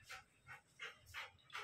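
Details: Female Golden Retriever during obedience training outdoors, breathy rhythmic panting in about five short noisy bursts under two seconds, between spoken Hindi commands to stand and stay.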